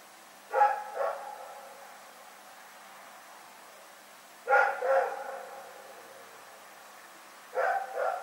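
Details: Dog named Rex barking during the night, 27 February 2018: evenly spaced pairs of short barks, each double woof separated by roughly three to four seconds of quiet.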